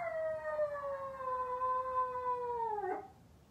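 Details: A Maltese puppy left home alone, waiting for its family to return, gives one long sustained howl that slides slowly downward over about three seconds, then breaks off.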